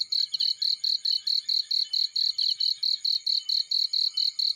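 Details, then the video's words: High, even cricket chirps from a field, about sixteen short rasping bursts in under five seconds at a regular pace, pitch steady throughout, with nothing else prominent. "Warm Relaxing Fireplace In Field || Burning with Cricket Sounds"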